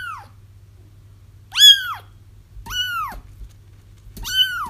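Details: Kittens crying, played to lure a feral mother cat into a trap: three loud, arched, high mews with rich harmonics, each about half a second and spaced roughly a second apart, over a faint low hum.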